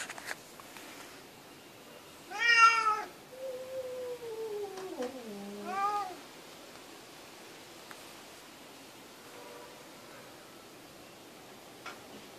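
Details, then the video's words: A cat vocalizing in a talkative, human-like way: a loud arched meow, a long low wavering murmur, then a second shorter rising-and-falling meow, with a faint soft call near the end against a quiet background. "Cat talks like Humans"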